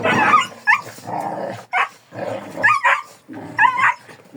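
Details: Kangal dog growling in low rumbling bursts, interrupted by short, bending yelps that rise and fall, with brief silent gaps between outbursts.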